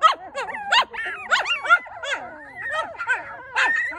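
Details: Newborn Maltipoo puppies from a litter of four, giving high, wavering whimpers and squeaky yelps that rise and fall in quick overlapping bursts, several voices calling at once with short pauses between.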